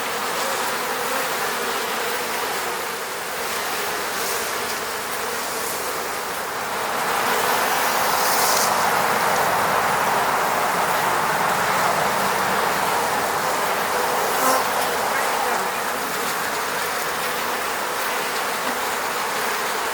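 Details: Bees of an apiary in the Moscow region hum around their hive; an unbroken, many-voiced buzz swells midway and stays loud, with a couple of short higher whooshes as individual bees pass close.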